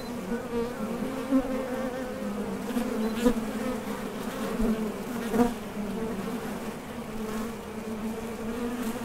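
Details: Steady drone of honey bees at a top bar hive entrance as foragers leave and land, with brief closer fly-bys around 3 and 5.5 seconds over the constant low hum.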